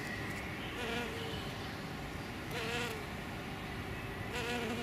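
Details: Hairy-footed flower bees, male and female, foraging on Green Alkanet in spring: short intermittent low buzzes come and go every second or two, with a deeper hum near the end, amid steady rushing background noise.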